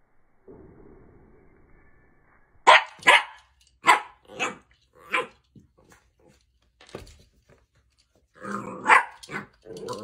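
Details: Mini dachshund from a compilation of dachshund puppies barks indoors: a quick volley of five or six sharp, clipped barks spaced under a second apart, a pause, then a rougher, growly burst of barking, with low room noise beneath.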